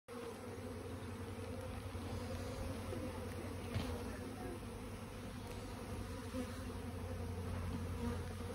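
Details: A honey bee swarm that landed in a garden tree in Warwickshire, England, on 21 May 2022 fills the air with a steady, dense, low droning hum.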